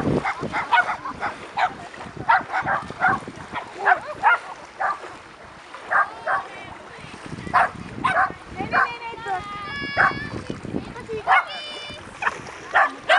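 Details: On a beach, six 10-month-old puppies and their mother gather at a litter reunion on 3 August 2011, giving short sharp barks and yips in quick scattered bursts, mixed with human voices and a few higher whiny tones.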